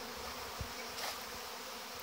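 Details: Honey bees in mid-August 2019, young bees making their orientation flight in numbers around the hive entrances; an unbroken, busy buzzing drone throughout, with a short low knock and a faint brighter swell midway.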